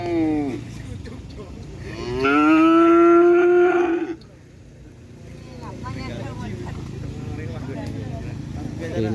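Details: Cattle of the Sudawirat bull racing team (karapan sapi) in Pamekasan: a brief falling moo, then a loud, steady, drawn-out moo of about two seconds. Afterwards people talk, with a low vehicle-like rumble throughout.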